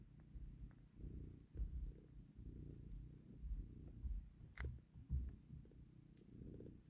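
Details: Mother cat purring while she takes her kitten back from a hand: a low, rumbling purr in steady pulses, close and indoors-sounding, with a few soft rustles and clicks.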